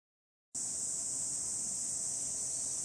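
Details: Cicadas calling in the countryside of Hiroshima Prefecture, Japan, in July 2021 on a hot, sunny day: after a half-second of silence, a steady, high, hissing drone begins and continues without a break.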